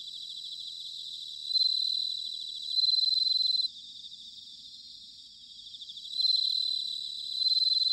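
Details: Bell crickets singing in autumn, recorded in Sanuki, Chiba, Japan, on a ZOOM H6 or TASCAM DR-05X: a dense high chorus of trilling chirps, with two louder nearby ringing trills standing out in bursts of about a second.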